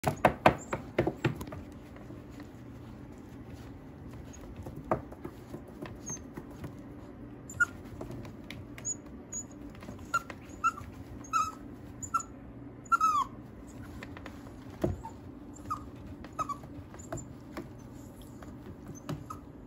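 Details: Mixed-breed dog at a dog breeder in Okayama, Japan; short high squeaky whimpers scattered throughout, clustering between ten and thirteen seconds with a few downward-sliding whines, over soft clicks and a low steady room hum.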